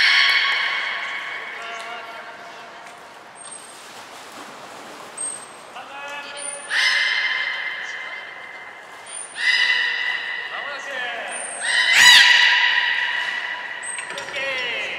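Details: Belugas Nana, Mirai and Niko during a training session at Port of Nagoya Public Aquarium on 11 January 2021: loud, buzzy harmonic calls held for a second or two, some bending at the ends, plus brief high piping tones and voices in between.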